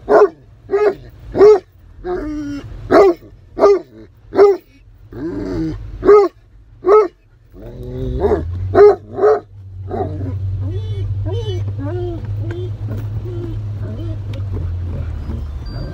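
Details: Giant Great Pyrenees excited during a rainy-day walk at Harvest Walk mall in Oyama, Japan, barking in a fast regular series about twice a second for eight seconds, then quieter yelps fading under a steady low engine rumble.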